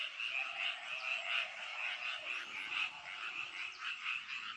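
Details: Rice-paddy frogs calling together: continuous high rattling croaks layered into a shimmering chorus, with brighter bursts pulsing roughly every half second and no other clear sounds.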